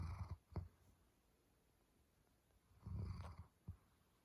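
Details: Sleeping German Shepherd snoring: two soft, low, rasping breath sounds, each with a brief rough catch, separated by a quiet stretch of about two seconds; faint steady hiss in the background.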